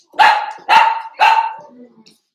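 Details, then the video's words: Cavalier King Charles Spaniel puppy playing in an indoor home pen barks three times in quick succession, each bark loud and harsh, ending in a faint low grumble. "Cavalier Puppies Live: Puppies Playing"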